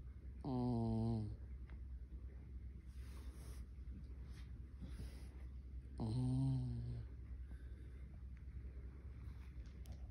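A Cairn Terrier snores in low, rattling, harmonic breaths about every five and a half seconds.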